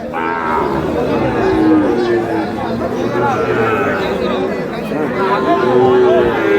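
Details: Sahiwal bull calves at a crowded cattle market in Satkhira, Bangladesh, 10 May, with plenty of animals brought in: long, level lowing calls sound repeatedly beneath constant human talk and haggling.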